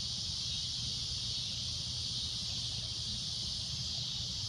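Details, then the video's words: Cicada at golden sunset giving a loud, shrill droning noise: one steady, unbroken high hiss that holds level for the whole stretch, with a low rumble underneath. "Cicada A Loud Shrill Droning Noise"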